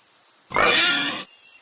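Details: Pig (Sus scrofa domesticus), grunt.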